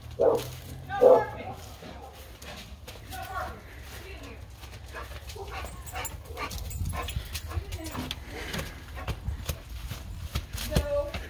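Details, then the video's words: Dog barking twice in quick succession near the start, sharp and loud, then a long stretch of noisy background with voices, clatter and a steady low hum. "Dog Barking"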